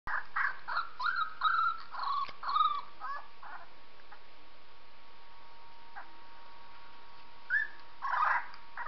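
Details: Purdy, a female pet dog, listening to a recording of a 3-week-old puppy; a series of short, high, tonal whines and squeaks in bursts during the first three seconds, a quiet stretch, then more whimpers near the end, over a steady electrical hum.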